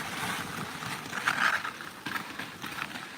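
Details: Skis scrape and hiss over snow, with rushing wind noise outdoors.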